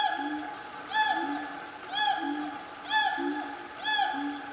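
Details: Wild siamang family calling loudly in Gunung Nuang forest, Selangor, Malaysia, about 10 am on a cool morning; swelling hooted notes roughly once a second, alternating lower and higher voices, over a constant high insect drone.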